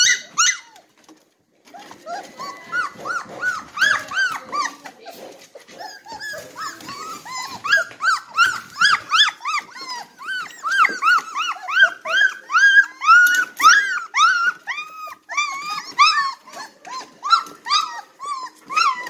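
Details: Three-week-old Red Golden Retriever puppies, hungry and ready to nurse, several pups in a busy chorus of short rising squeals and whines, about two cries a second, indoors.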